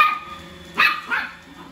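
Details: A long-haired female Chihuahua puppy fighting a robot vacuum gives two sharp, high-pitched yaps in quick succession.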